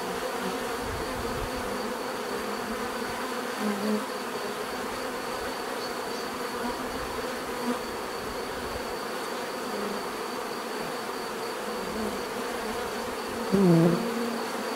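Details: Continuous hum of many bees, with single louder insects briefly passing close, their higher whining buzz swelling near the end over the steady background drone.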